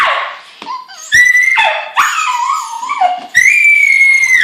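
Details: Miniature Schnauzer Rudee Belle screaming crazily for her long-lost electronic Zhu Zhu toy hamster. She gives shrill, wavering squeals that rise and dip, then ends on a long, piercing, nearly steady high whine.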